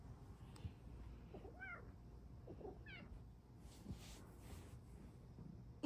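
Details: Domestic female cat Luxe makes two brief, soft meows about a second apart, each a quick up-and-down chirp, quiet against an indoor background hum.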